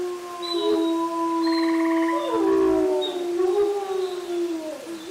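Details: Wolves at the International Wolf Center in Ely, Minnesota, caught by a live wolf cam on 22 June 2020, possibly set off by a strange distant noise. Several long, smooth howls at different pitches overlap and glide, with a brief pulsed tone partway through.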